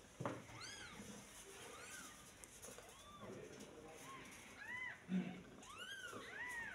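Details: Newborn kitten, born the day before, giving a run of thin, high mews, each an arched rising-then-falling cry, about seven across the stretch, over a faint hiss and some low background murmur.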